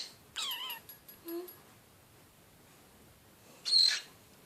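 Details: A pet animal screeching indoors: a harsh, downward-sliding harmonic screech lasting about half a second, a few faint thin notes after it, then a brief, very high, piercing burst near the end in a quiet small room.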